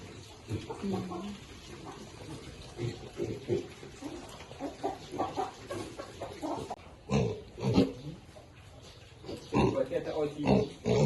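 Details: Piglets grunting and squealing while eating: short bursts of rough, low grunts and a few higher squeals coming in irregular clusters, with human voices talking in Vietnamese nearby.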